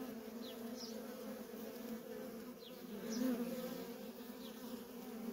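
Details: Constant hum of worker honey bees coming and going at a feral colony. The low drone stays steady, swelling briefly in loudness near the middle, with only faint high squeaks behind it.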